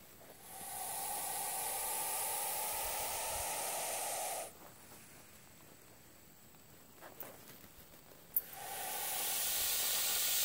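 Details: Harmless, non-venomous hognose snake, known locally as the Missouri cobra, acting like a cobra in a bluffing display: two long, loud, breathy hisses, the first lasting about four seconds and the second starting near the end, separated by a quiet gap.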